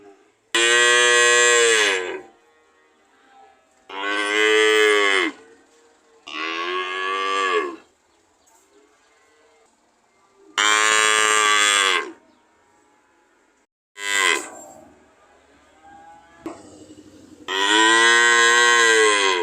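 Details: Cow mooing again and again: six strong, harmonic bellows of one to two seconds, each slightly falling in pitch, with brief pauses and a faint lower moo between.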